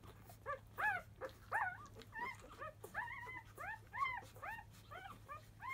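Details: Labrador Retriever puppies at five days old, a field-type litter of grand champion Biscuit, in an uproar at the start of nursing: a steady run of high, arching squeaks and yelps, about two to three per second, over a faint hum.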